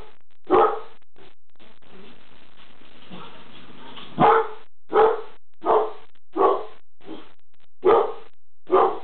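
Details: Reggie, a pet dog, barking at something in the kitchen: loud, hoarse single barks, a pair near the start, then a steady run of about six barks spaced under a second apart, with faint background rustling between them.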